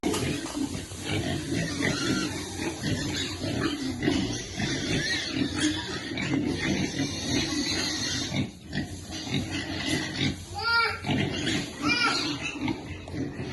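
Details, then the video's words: A baby piglet waiting for food, then being fed, keeps up steady grunting with a few rising, arched squeals near the ten-second mark and quiet background talk. "Baby piglet waiting eat food, feeding lovely piglet."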